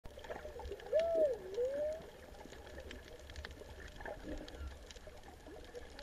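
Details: Humpback whales singing in warm, clear water off Ulua Beach on 24 December 2019: a song unit with a clear, moaning tone that rises, dips and sweeps upward, over underwater hiss.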